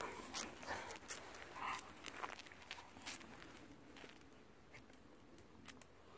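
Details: Golden Retriever sister and brother, Kohaku and Ibuki, aged ten and nine, playing together at night before heading home after a long day of play; rough breathy bursts and snorts come irregularly, mixed with sharp clicks and scuffling.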